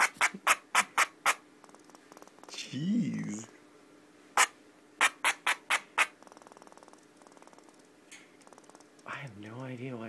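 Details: Pinky, a pet squirrel kept indoors, upset and barking: repeated bursts of sharp, harsh barks, a soft rapid pulsing rattle between them, with a person speaking to her twice over the calls.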